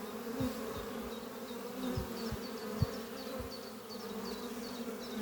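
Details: Spring morning at the Doppio beehive, a horizontal hive made from an old French oak chest: honey bees give a continuous droning hum, punctuated by short close fly-by buzzes, with rapid high-pitched chirping repeated in the background.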